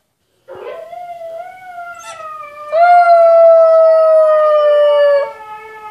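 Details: Siberian Huskies howling, heard while a husky puppy named Maša watches other huskies howl: a long, smooth, steady tone with rich overtones, first softer and then swelling louder and more sustained for about three seconds before stopping.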